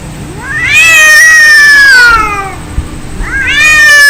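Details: Angry domestic cats fighting: long harmonic yowls sliding slowly downward, loud and sustained for about two seconds, then a rising wail begins again after a short quiet gap.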